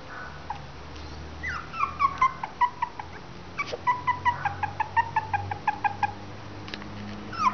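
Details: Three-week-old Westie and Maltese cross puppies whimpering and squeaking, a run of short high yelps repeated about every half second, some sliding down in pitch, over a steady low background hum.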